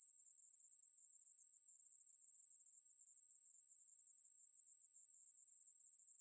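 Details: Ruspolia katydid song: a steady, unbroken high-pitched buzz that holds one very high pitch for the whole stretch with even loudness. No other sounds are present.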